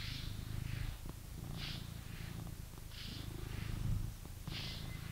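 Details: Blue British Shorthair cat in a home in England purring steadily, a low continuous rumble broken by soft breathy pulses roughly every one and a half seconds.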